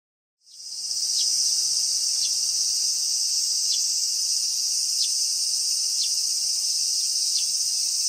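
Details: Cicadas at the end of summer, recorded 19 August 2020: after a brief silence, a dense, steady high-pitched buzzing drone sets in and holds unbroken, with faint ticking accents recurring roughly every second.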